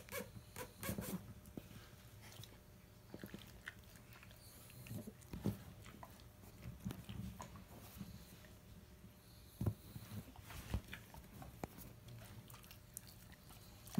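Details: Pug snoring with a Rhodesian Ridgeback nearby, deep low rasping breaths in a steady cycle, punctuated by sharp clicks and shuffling noises in a small room.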